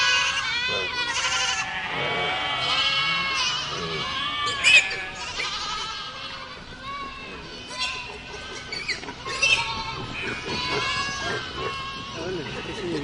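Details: Goat herd in a dense bleating chorus, many wavering calls overlapping, with a few sharp clicks or knocks standing out now and then.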